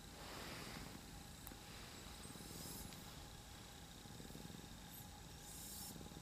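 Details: Purring from a heap of three house cats resting on someone's lap. A continuous low pulsing rumble holds steady throughout, with faint rustling and a thin hum in the background.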